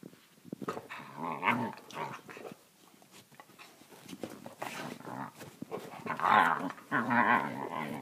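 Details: Australian Kelpie indoors making funny vocal noises: irregular rough grumbling growls and moaning bursts, some louder yowl-like peaks near the end, with brief clicks and quieter gaps between sounds.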